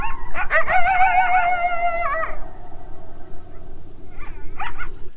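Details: A coyote gives a wavering, quavering howl, then a pause and a few short high yips. Listeners think it may be far off and echoing, possibly one loud coyote among a larger unheard group.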